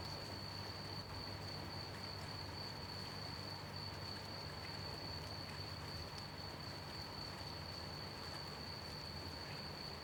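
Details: Night crickets in gentle rainfall keep up a continuous high-pitched ringing note without pause, laid over a thick, even wash of rain patter and drips.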